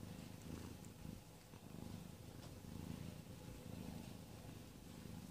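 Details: Amber, a pet cat in labour on 22 February 2017 while giving birth to a litter of four kittens, purrs steadily: a low, rumbling pulse that swells and fades in slow rhythmic waves, with faint room hiss behind.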